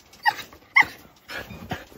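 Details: Jindo dogs from a family kept in Seongju, North Gyeongsang, Korea, greeting a returning visitor: two short, high, tonal whining yelps half a second apart, then softer rustling and breathy sounds.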